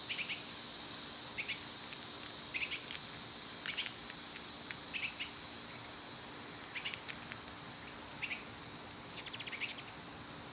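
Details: High, continuous buzzing of summer cicadas, with repeated short chirps and scattered sharp clicks breaking through the steady drone.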